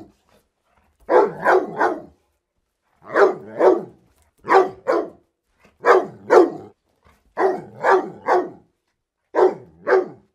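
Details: Barking dog from freesound.org samples, deeper barks delivered in rhythmic pairs or triplets every one to two seconds, each bark rough and full.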